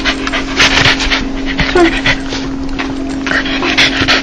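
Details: Joyful dog making its laughing sound: loud, close, rapid panting breaths in uneven bursts, briefly pausing midway before resuming, over a faint steady hum.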